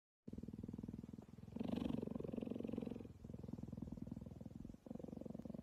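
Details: Cheetah purring while being cuddled, a steady low rumbling purr pulsing rapidly in alternating breaths, swelling louder in the middle, close to the recorder.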